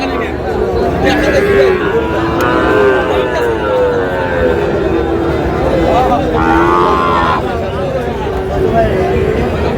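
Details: Sahiwal bull calves for sale at a market in Tangail, 20 August: a series of wavering moos, some overlapping, rising then falling, with a brief harsh bellow near the end, over steady crowd noise and bargaining voices.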